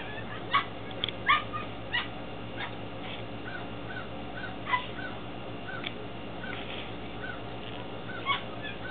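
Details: Ten-week-old Belgian Malinois Shepherd pups from a litter born February 2015, Williston, Florida: scattered thin whimpers and yelps spaced irregularly through the recording, with a constant low mechanical drone beneath.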